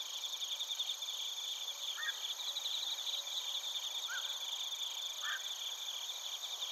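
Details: Bell crickets and other crickets chirping in Narita, Chiba Prefecture, Japan, recorded on a TASCAM Portacapture X8: a dense, high shimmering chorus of rapid pulsed trills, with a few brief lower chirps standing out around two, four and five seconds.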